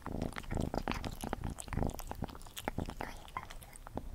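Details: Gordy, a pet cat, crunching food at close range: rapid irregular bites and crunches, a few per second, with brief lulls between mouthfuls in a quiet room.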